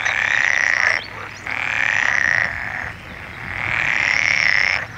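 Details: Frog giving long, even trills, each lasting about a second, separated by brief pauses, three bouts in five seconds; a steady low rumble underneath.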